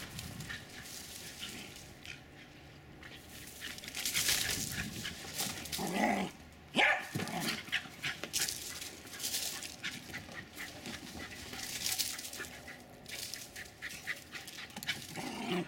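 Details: Two Jack Russell Terriers, Jasper and Jaclyn, about four and a half years old, running and play fighting with intense energy in Lenexa, Kansas, on 16 January 2012; scuffling, noisy huffs and bursts of breath rise and fall, with a brief loud flurry midway.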